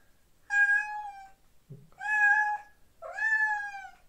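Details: A male domestic cat pining for his female companion and wanting to get through a door to her gives three loud, drawn-out meows.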